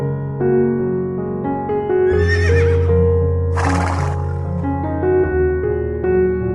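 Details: A horse gives one quavering whinny followed by a harsh, breathy snort, a sound horses use to express emotions and communicate with each other, heard over loud, continuous instrumental music.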